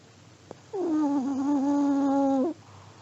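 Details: An old Pomeranian asleep and snoring: one steady, nasal, whistle-like tone with rich harmonics, held for nearly two seconds and then cut off, in a quiet room.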